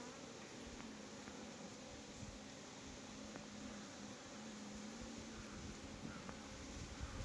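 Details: Honey bees at a bee farm in Nellore, a steady low droning hum holding one pitch throughout the clip, with faint rustling and soft background hiss.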